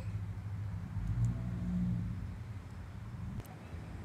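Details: Low, rumbling engine noise from a passing car, with faint murmured speech and no animal voices.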